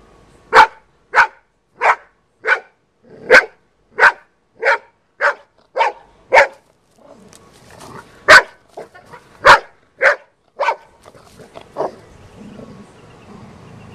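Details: Golden Retriever female attacking a snake in a back yard, giving a steady run of loud barks about every half second, then looser irregular barks with rustling and scuffling underneath.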